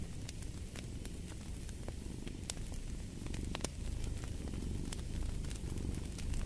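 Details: A cat's low, grainy purr runs beneath fireplace sounds, its breathing pulses less distinct here, while burning wood snaps and crackles irregularly and grows a little louder toward the end.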